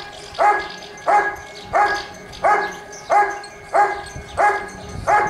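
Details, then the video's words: Rick vom Lindelbrunn, Giant Schnauzer, barking rhythmically at a 2022 IGP trial in Russia; eight strong barks spaced about 0.65 seconds apart, with faint background noise between them. "Rick vom Lindelbrunn (Riesenschnauzer)"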